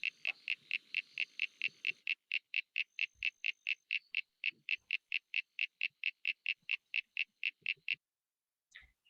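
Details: Common eastern froglet, the most commonly recorded species in Hawkesbury and in FrogID overall, likened to marbles rubbing together: a rapid, even series of short clicky creaking notes, about three to four per second, running for eight seconds before stopping.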